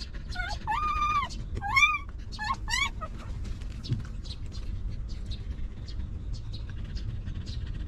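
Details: A stray mother dog and her young puppies, now given shelter and food: several drawn-out nasal whines with wavering pitch in the first three seconds, then quieter scattered clicks and a low hum.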